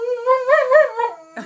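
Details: Heyoka, a dog known for screaming instead of barking or howling, calls out at the sight of a kitty: a sustained, tonal, wavering wail that swells twice, then fades. A faint voice follows.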